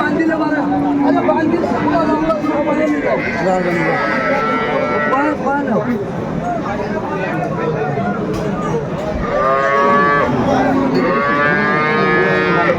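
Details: Cows with calves at Aftabganj livestock market in Dinajpur, Bangladesh, on 30 June; harmonic moos rise and hold around 5 and 10 seconds over constant crowd chatter and a trader calling out prices.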